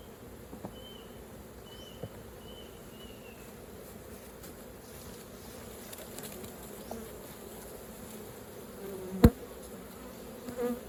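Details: Honey bees at an open hive during raw honey collecting. A steady low droning hum of many wings runs throughout, with scattered soft knocks, a sharp clack near nine seconds, and faint thin high whistles early on.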